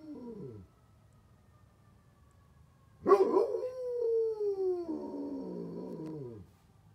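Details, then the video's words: Matching a fire truck siren, Bear the Great Pyrenees gives a trailing end of one howl, then a pause. A new howl follows with a sharp onset, a long steady falling tone, and a wobbling, descending finish. "Great Pyrenees howling at a fire truck siren!"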